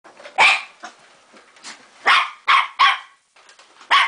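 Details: Pet dog frightened of a vacuum cleaner gives sharp, high barks in quick bursts, about five loud barks with softer yelps between, in an otherwise quiet indoor room.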